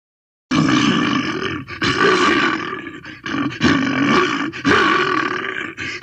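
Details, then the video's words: Bear roaring in long, harsh, throaty bursts of one to one and a half seconds, rough and rumbling with brief gaps between them, after a short silence at the start. "Bear Roars Sound"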